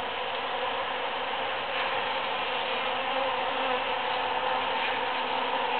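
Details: Many bees forage among huge cactus flowers after the June 22, 2013 Super-Full Moon, making a steady, dense droning hum with a low, even pitch and layered overtones that hold without a break.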